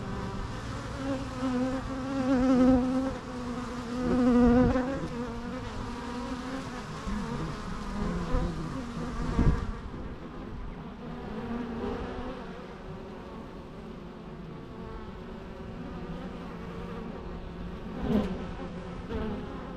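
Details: Natural bee sounds: two loud close fly-bys of droning, overtone-rich buzzing near the start, a thud near the middle, then a quieter even hum with one more brief close pass near the end.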